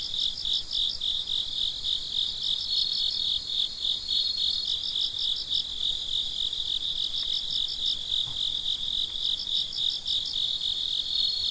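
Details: At night, a chorus of crickets gives shrill, pulsed chirps in quick regular bursts over an unbroken high trill, with a couple of faint soft clicks in the background.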